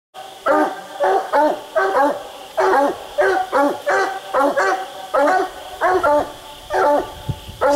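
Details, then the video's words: Coonhound treed during a raccoon hunt, split treed; loud, regular barks repeated about once a second with strong harmonics, a man briefly speaking. "split treed coon hunting"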